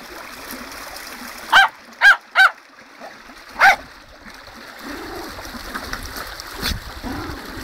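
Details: By a river in full spate, the dog Tottie lets out four quick high-pitched barks, three close together and one after a short gap, then only splashing and flowing water remain.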